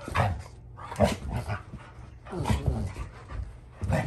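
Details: Rottweilers, a father and older dogs putting young Junior in his place while arguing over a toy; Fluffy shows Junior he isn't the boss. Harsh rumbling growl-barks come in four loud bursts about a second apart, with a low grumble between them.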